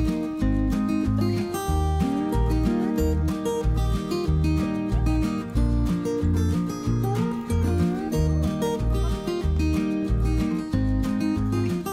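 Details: Loud guitar-led background music with a steady rhythmic beat plays throughout, and no animal sound is heard.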